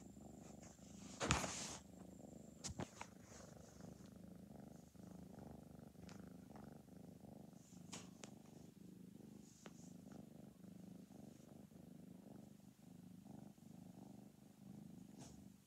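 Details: Orange and white foster kitten, about four months old, purring steadily while being petted indoors; a continuous low rumbling purr throughout with a few brief clicks and rustles, one louder thump near the start.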